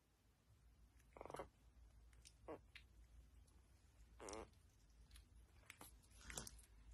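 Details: Yorkshire Terrier puppies playing together give short, high, squeaky whines and yelps, a few seconds apart.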